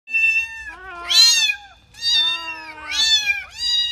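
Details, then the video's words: Kittens playing and meowing: four high, bright meows in quick succession over a few seconds, each rising then falling, with rich overtones and a faint low rumble beneath. "Cat Meow cat sound"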